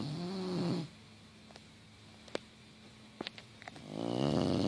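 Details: A female English Bulldog, crashed out asleep on the couch with her tongue sticking out, snores loudly with deep rattling breaths and quiet pauses between them.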